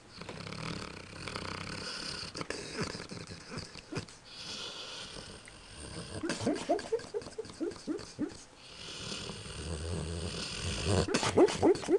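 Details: Sleeping dog having a nightmare, giving a run of short, squeaky rising yips and whimpers through the middle and end, between stretches of soft breathy noise in a quiet room.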